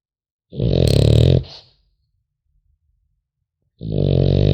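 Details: French Bulldog puppy asleep indoors, snoring: a loud, low, rasping snore of about one second, a quiet pause of two seconds, then the next snore beginning, with a soft airy exhale in between.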